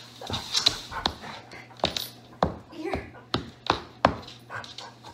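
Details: Pet dog barking in a playful home moment, a series of short, sharp yaps spaced under a second apart, with a woman talking and laughing between them.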